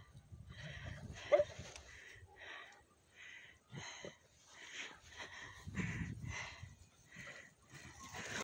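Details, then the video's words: Rhodesian Ridgebacks wrestling in play on long leads: rough, breathy huffs and snorts in rapid irregular bursts, with a brief squeaky whine near the start and scuffling throughout. "Rhodesian Ridgeback Wrestling"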